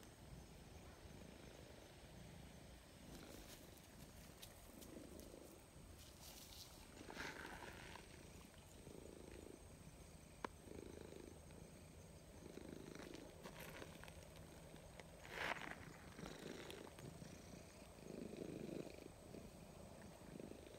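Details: Grey stray cat, gradually closing the distance and seeking affection, purring softly: low rumbling pulses in steady breath cycles every second or two, with brief rustling and brushing noises and a faint steady high whine throughout.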